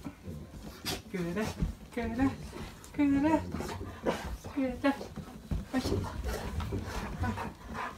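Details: Pet Golden Retriever in an ecstatic welcome for family members returning home after a trip of several days: short, wobbly whimpers repeated every second or so, over panting and human voices in a small room.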